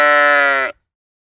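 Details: Sheep on a farm giving a single steady, nasal bleat lasting under a second, rich in harmonics with a slight waver, ending abruptly into silence.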